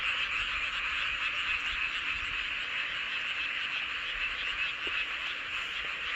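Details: Frog chorus at night under the full moon, recorded in Seowon-myeon, Hoengseong County, Gangwon Province, South Korea: continuous shrill, rapidly pulsing croaks from numerous callers blending into a constant bright hum.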